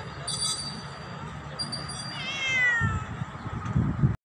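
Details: Black pet cat meowing loudly at its owner, giving a single falling, harmonic meow midway through, over a steady low rumble with faint high tones early on and soft knocking sounds toward the end.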